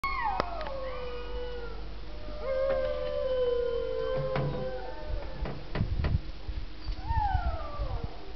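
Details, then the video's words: Several sled dogs in Alaska howl together, "singing" in long, wavering tones that slide downward and overlap. "Dog Sledding in Alaska - Dogs Singing 1"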